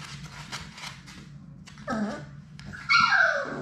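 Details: Playing Labrador Retriever puppies, six of Sadie's litter, indoors in a puppy play room. A brief whiny growl is followed by a loud, sharp, falling yelp over soft scrabbling and thuds.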